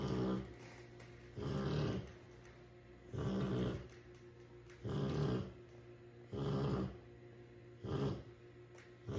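A Rottweiler snores in deep, rumbling breaths that come roughly every second and a half.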